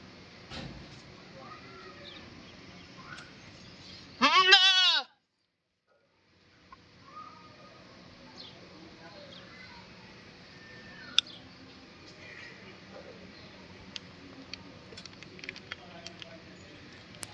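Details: Indian goat: one loud, wavering bleat lasting about a second, rich in harmonics and falling slightly in pitch, followed by a brief silence and then faint background noise with scattered light clicks and knocks.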